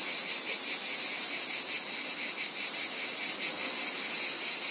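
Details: Shrill cicada chorus with a fast, regular throb, dipping slightly midway and then swelling louder and brighter toward the end.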